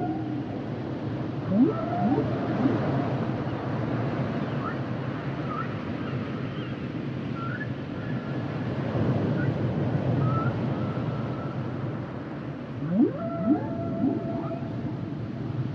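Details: Humpback whale song underwater: sweeping upward moans near 1.6 and 13 seconds, with faint higher whistled tones drifting across the middle and a steady low ocean rumble throughout.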